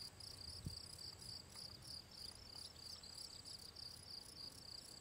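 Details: Field cricket (Gryllus campestris) singing by the ponds of the Draga valley on 18 June 2023: bright, high chirps repeated in a quick, steady pulse of roughly three per second, with a soft low rumble underneath.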